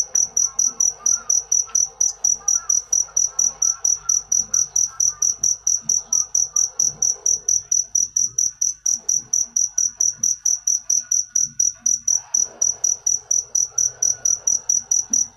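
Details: Long run of a cricket's sharp, high-pitched chirps repeated evenly, roughly three to four a second, over soft indistinct background sounds.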